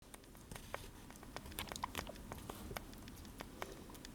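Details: Sugar glider eating blueberries indoors, a rapid irregular run of sharp, crisp clicks and moist smacking bites, scattered several times per second in a small quiet room.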